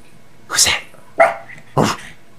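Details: Pet dog waking from an afternoon nap indoors and turning alert, giving three short, harsh barks about half a second apart, each loud and broadband, over a quiet room.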